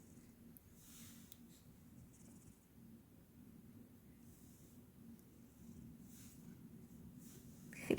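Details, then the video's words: Sleeping Scottish cat indoors, snoring softly: a low, breathy rumble with steady rhythmic breaths throughout, growing slightly louder toward the end, where a brief rustle is heard. "Котик храпит потому что спит"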